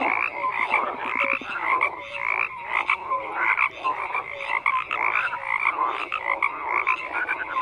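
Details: Many frogs croaking in a continuous overlapping chorus, buzzy pulsed calls mixed with brief clear tonal notes, no gaps in the sound.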